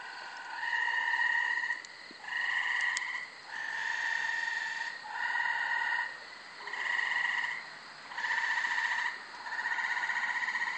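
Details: Multiple Gray Treefrogs (Hyla versicolor) sing at night in late May in a brushy, wooded undeveloped lot in Carolina, Rhode Island, giving musical, pulsed trills about a second long, repeated every couple of seconds.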